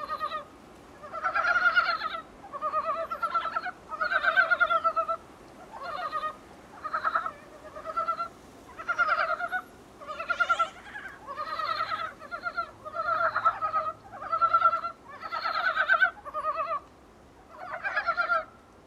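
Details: Recorded from a small room's window, Dybowski's brown frogs give short bursts of pulsed, chuckling croaks at a steady pace of roughly one group per second, with a faint low hum partway through.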